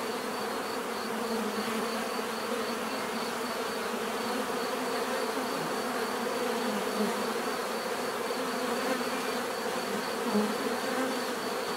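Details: Many bees make a dense, steady, unbroken buzzing drone with a low hum, overlaid by a faint constant high whine throughout.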